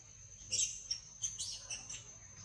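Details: Janna, a monkey, cries after being refused milk and punished for asking repeatedly; short, high, squealing bursts come in quick succession over a faint low background hum.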